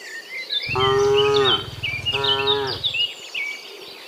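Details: Two rich, harmonic moos about a second apart from cows walking home in the afternoon from the fields to their pen, dozens in the herd, with lively bird chirping above.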